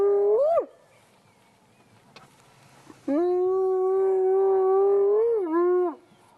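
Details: A wild spotted hyena in Africa, sitting in long grass beside a road on 12-1-2017, gives a short rising whoop, then a long, steady, hollow whoop that lifts and falls at the end.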